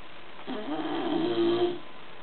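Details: One drawn-out snore from sleeping bulldog Gordo, a buzzy, rattling inhalation of about a second and a half that swells slightly in loudness before fading, in a quiet indoor setting.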